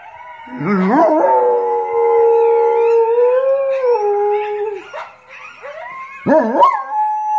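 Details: Domestic dog howls, opening with a quick rising yelp that settles into a long steady mid-pitched wail, dipping near five seconds, then another sharp rising howl near the end.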